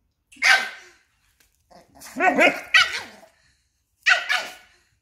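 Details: A tiny female Papillon confronts and corners a much larger Belgian Malinois: three bouts of loud, rough barks, the middle bout a rapid run of three or four harsh yaps with a growly edge, then a final double bark.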